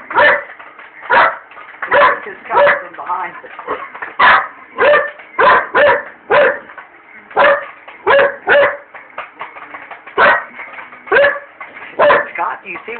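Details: Indoor Belgian Malinois barks repeatedly at a microwave during popcorn making, phone-recorded; a fast, insistent string of loud barks, often paired, continuing throughout over a constant appliance hum, with some speech between barks.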